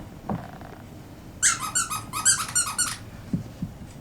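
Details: Seven-week-old Pekingese puppies from Star and Butch's litter, bred in Akron, Ohio, indoors: a quick run of about eight high, piercing squeals or yelps packed into a second and a half, with soft thumps before and after.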